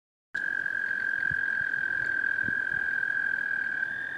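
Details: Toad singing at Lake Cheston: one long, steady, high trill held without a break for about four seconds, with faint low thumps beneath.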